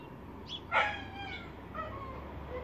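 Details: A dog, recorded 23 February 2017, gives one short, sharp yip with bright stacked overtones, then softer whining tones fade out over a steady low background hum.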